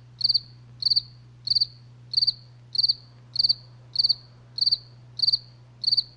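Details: Night cricket song of sharp, high, trilled chirps, each made of a few rapid pulses, evenly spaced a little over half a second apart, with a soft low steady hum underneath.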